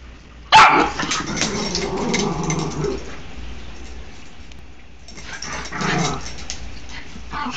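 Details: Dog wrestling playfully indoors: one sharp, loud bark opens, then rough, rumbling growls run for about two seconds, fade, and return in a shorter burst near the end.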